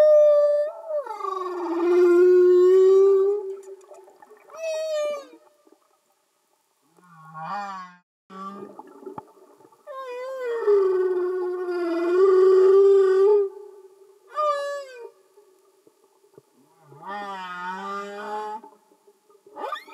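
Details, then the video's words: Singing humpback whales heard underwater: long sliding moans with rich overtones, rising and falling whoops, brief low groans, and short chirping notes separated by quiet gaps. "Amazing singing Humpback Whales"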